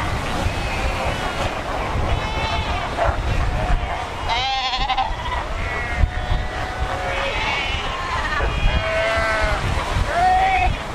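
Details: Cape fur seals massed at Cape Cross along the Skeleton Coast, more than 100,000 animals among ocean rocks; a chorus of quavering, sheep-like bleats and drawn-out wails overlaps continuously above rumbling waves.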